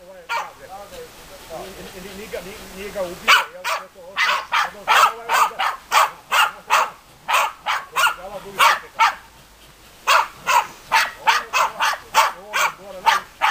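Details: A low human voice murmurs for three seconds, then German Hunting Terriers Bagira and Cox von der Fuchskralle break into rapid, excited barking, nearly thirty short yapping barks tumbling close together.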